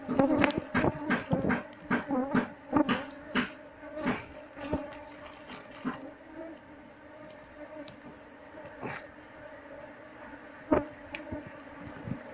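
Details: Wild honey bees nesting under a window beam inside a wall, while keepers remove the combs and hunt for the queen; continuous low droning hum overlaid by frequent sharp knocks and scraping, busier in the first seconds.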